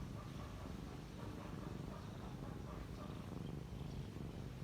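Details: A kitten sleeping and relaxing, purring. A steady, low, rumbling drone runs unbroken through the whole recording, with a soft hiss above it.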